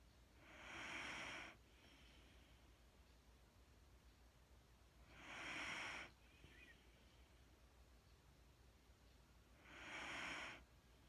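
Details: Sleeping Wheaten Terrier named Mattie breathing hypnotically: three slow, breathy hisses, each lasting about a second and arriving every four to five seconds, with quiet hum between them.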